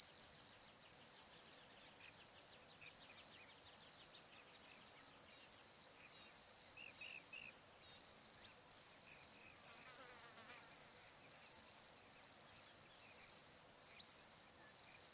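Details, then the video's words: Summer sunset crickets along the Barcoo River, Welford National Park, Queensland Outback, Australia: steady high-pitched trilling bursts separated by short breaks, with a few soft bird notes and chirps scattered beneath. "Australian Sunset Chirping Crickets"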